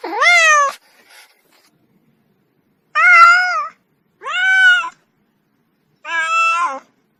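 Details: Kitten meowing four times at irregular intervals, the calls bright and harmonic, slightly arched in pitch, with near silence between.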